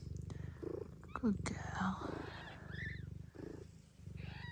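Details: Gambit, a blue bicolour Ragdoll mother cat from an Australian breeder, purring after giving birth to a litter of five kittens. A steady low rumbling pulse runs through the clip, broken by high squeaky kitten mews and a brief human voice.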